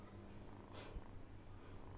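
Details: Domestic cat purring softly, a steady low rumble of closely spaced pulses throughout, with a brief rustling burst near the middle and quiet room noise.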